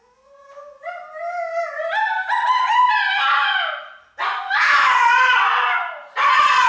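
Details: One-year-old Pomeranian howling its special song for attention in the morning while crated indoors, with a second Pomeranian joining in; long rising howls with stacked harmonics climbing in pitch, then louder broader wailing bursts.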